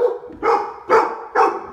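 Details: Door barking from three Labradors, Lola, Dale and Max, in an Omaha house during a training session; four rapid, loud barks about half a second apart.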